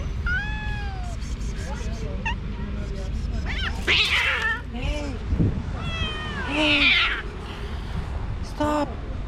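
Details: Angry, recently neutered calico cat in a park, fighting five other cats that surround her territory: drawn-out wavering yowls with falling tones, harsh noisy bursts midway and near the end, and a man talking over the scuffle.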